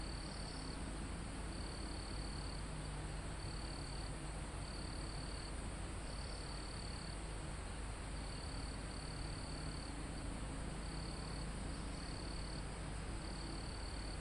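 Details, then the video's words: Crickets calling in a calm forest high on a mountain, recorded live. Brief high buzzy trills come at uneven intervals, about nine of them, above a persistent high insect drone and the low rumble of wind in foliage. "Calm Forest in Mountain With Crickets, Insects Sound"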